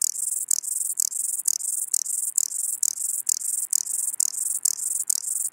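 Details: Ladder grasshopper singing in Muhrtal, Austria, on 9 October 2020: short raspy scraping bursts, each about a third of a second, repeated steadily roughly twice a second with brief gaps, in a quiet setting.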